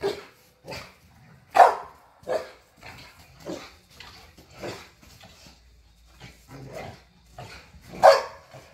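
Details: Pit bulls and a Malinois playing in a back yard, barking repeatedly in short broadband bursts, several louder sharp barks standing out among softer ones.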